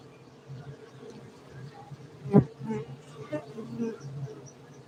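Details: Farmed honey bees in Gayo, Bener Meriah, Aceh, Indonesia, giving a continuous low, even humming drone, broken by one sharp knock and faint murmuring voices.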